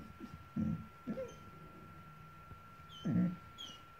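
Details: Boxador puppy, a five-month-old female indoors, reacting to her new Pinky Pig toy: three short, low, rough growl bursts, with faint high squeaky tones between them over a quiet room hum.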